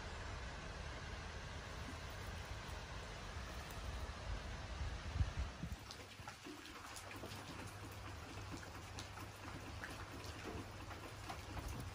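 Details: Steady rain and trickling water with low rumbling noise, and no animal voice.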